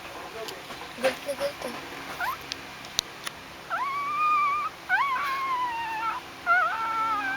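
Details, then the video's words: Hungry newborn Shih Tzu Pomeranian crossbreed puppies pushing their way in to nurse: three drawn-out whining cries, each rising sharply then holding level, in the second half, after soft rustling, clicks and faint voices. "my hungry puppies"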